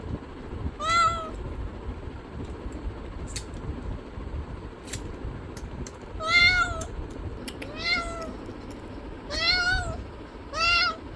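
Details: Cat producing five meows, one early then four in a quicker cluster near the end, each short and harmonic-rich, with faint clicks and background rumble.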